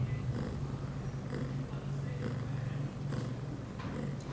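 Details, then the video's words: Pia, a young female cat of eight months on heat, recorded 23 September 2011 after her first birth control dose; a low, even purr holds throughout, with light rhythmic rustling over it. "Pia on heat."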